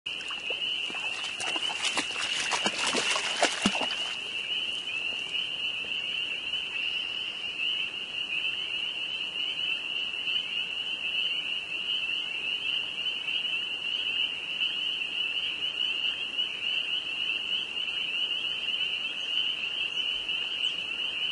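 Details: Dense chorus of spring peepers, frogs in northern Vermont, peeping at a frenzied height: a continuous high whistled band of overlapping peeps, with a burst of clattering handling noise in the first four seconds.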